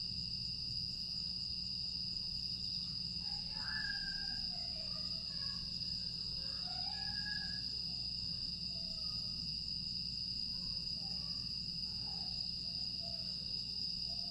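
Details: Insects in the grass on a calm summer night in Aewol, Jeju, 25 August 2022, sustain a piercing steady trill; scattered faint twittering notes rise and fall midway, over a quiet low rumble.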